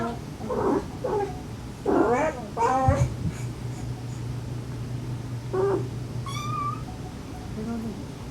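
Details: Stray mother cat and rescued kitten siblings, recorded to draw out the last kitten during a rescue; scattered short meows and one high thin mew over heavy low rumbling noise and a droning hum.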